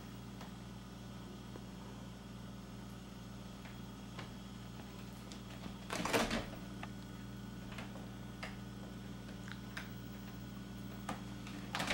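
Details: Quiet indoor room with a steady low hum, faint ticks and one loud clatter near the middle, like a door or cupboard. No animal voices.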